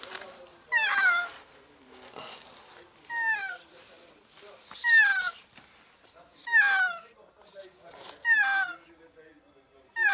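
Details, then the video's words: Trapped, ill cat in an enclosed alley crying for help; six harmonic meows in about ten seconds, each descending in pitch and spaced roughly one and a half to two seconds apart, with varying loudness. "Cat trapped in an alley desperately meows for help"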